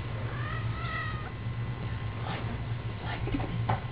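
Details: A kitten gives two short, high, slightly wavering meows within the first second and a half, followed by soft knocks and rustling over a steady low indoor hum.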